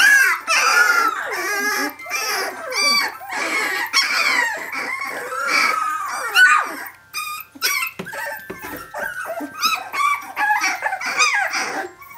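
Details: Several 17-day-old puppies of Brenda's litter, Phantom of Scotland, calling for their mother; overlapping high whining squeals and yelps, continuous and dense, with short breaks and a few thin whistled whimpers.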